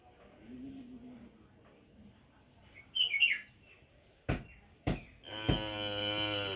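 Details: A village cow lets out a loud, deep, droning moo near the end, cut off abruptly; before it come a quiet low hum, a brief bird chirp and two sharp clicks.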